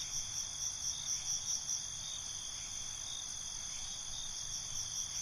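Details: Crickets at night in a binaural night ambience: a steady, shrill high trill runs throughout, with swelling pulsed chirp bursts in the first half and a faint ticking train at the very top of the range.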